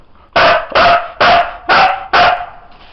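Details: A pet Siberian Husky named Sizara performs a counting trick with five loud, rhythmic barks roughly half a second apart, then falls quiet before praise and a treat.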